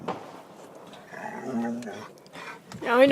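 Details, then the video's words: Charlie, an excited dog on a Fourth of July evening car ride, gives a steady low whine, then a sharp wavering rising whine at the end, with a person speaking nearby. "Charlie's Weird Noises"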